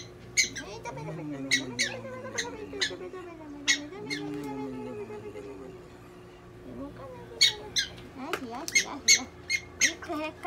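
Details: Prairie dog named Donguri, handled at a Nagoya animal clinic during treatment, lets out a rapid run of sharp, piercing chirps in bursts, mixed with a veterinarian's soothing talk in a small room.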